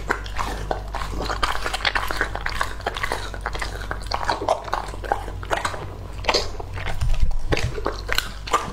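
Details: Lucky, a two-and-a-half-year-old English Labrador Retriever, chews raw food; crisp cracking bites and slurpy gnashing follow one another in fast irregular clusters, with a faint low background drone.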